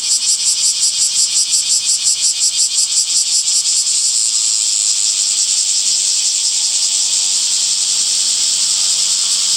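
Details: A summer cicada chorus in green trees: a high buzz that pulses rhythmically, nearly three beats a second, for the first four seconds, then settles into a smooth, unbroken drone.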